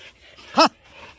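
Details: One of two Jindo dogs attacking a water deer that wandered into a house yard, giving a single sharp harmonic bark amid quiet background.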